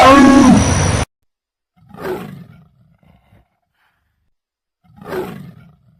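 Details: Jaguar roaring: after a loud, moaning harmonic call cut off at one second, two deep, breathy, rasping grunts follow about three seconds apart, with near silence between them.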